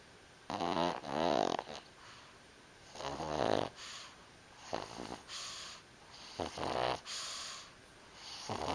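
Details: Pug asleep, snoring in quick uneven bursts, about 28 per minute, each a rough wheezy rattle with a buzzy edge, some breaths doubled, in a quiet room.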